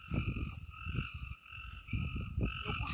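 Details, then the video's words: Frogs in the Amboli hills forest, Sindhudurg, give short, pulsed, guttural croaks in three clusters separated by brief pauses, with a steady high ringing drone from other forest creatures throughout. "बेडकांचे आवाज | sounds of frogs Amboli hills"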